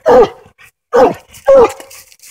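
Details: Three quick hoarse barks, each with a brief falling tone, from Hoss the coonhound, treed on a den during coon hunting in Tennessee.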